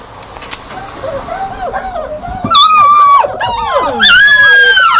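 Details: Yakutian Laika vocalizing with overlapping whining howls and sharp yips, several voices of rising and falling pitch building louder through the second half, some high quavering cries near the end.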